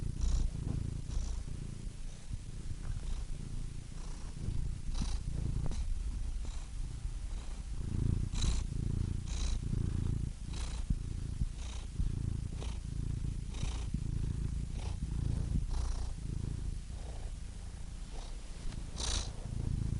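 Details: Quieter, steady cat purring, a low rumble with uneven breath phases and frequent faint clicks and airy sniffs scattered across the purr.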